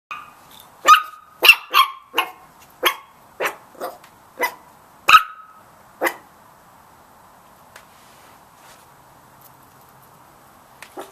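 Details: Little Chihuahua puppies in a yard give a quick run of sharp, high-pitched yaps at a cat, then fall quiet.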